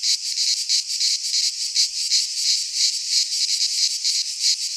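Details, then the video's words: Cicadas singing in midsummer in a Greek pine forest: a dense, continuous buzzing drone with a fast pulsing throb, several beats per second, filling the high range without pause; no other sounds heard. "Cicadas singing in midsummer - Nature sounds from the Greek fauna - Sounds of cicadas"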